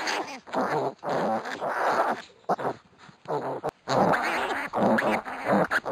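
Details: During play-wrestling, one-week-old pot-bellied piglets utter long, rasping, growl-like grunts and squeals in dense clusters, with a short quieter lull midway.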